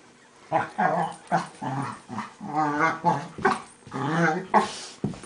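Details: Two pet dogs, Max and Leo, play fighting at home; smaller Leo makes strange monkey-like noises. Harmonic, warbling growls and whines in bursts of about half a second, repeated irregularly, some rising into higher yelping tones.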